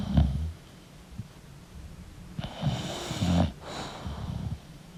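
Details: English bulldog asleep, making quieter irregular snuffles and snorts with a few harsher breathy puffs, low rumbles fading in and out.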